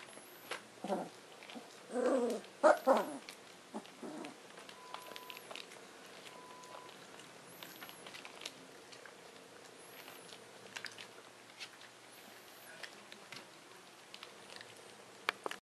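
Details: Three-week-old puppies from one litter, born October 25, 2013: a brief cluster of soft whines and squeaks in the first three seconds, then mostly quiet room with faint clicks and rustling.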